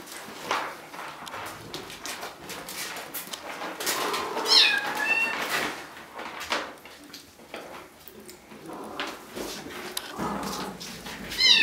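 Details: Bengal kittens from three litters at Wildrose Bengals, two almost 8 weeks and eleven 5 weeks old. One bent, falling meow rises above a noisy room of rustling and handling, with a brief second cry right at the end.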